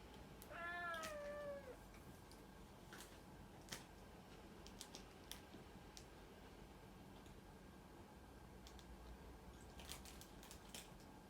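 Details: Single meow from the cat Puran at the start, a clear tonal cry that bends downward at the end, then quiet room noise with light tapping and clicks.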